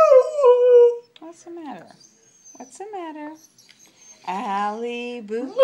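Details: A female Siberian Husky howls in long, wavering tones that slide downward, singing along as a person repeatedly sings her name.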